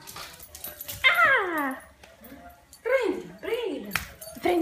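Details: American Cocker Spaniel playing with a ball, giving drawn-out harmonic whines that slide downward, then two shorter arched whines; a woman's Italian voice is heard between them.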